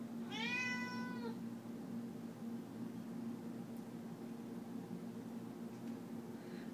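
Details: Pet cat meowing in a kitchen while its owner cooks chicken, wanting the food. A single clear harmonic meow lasting about one second near the start, then quiet room hum with no further calls.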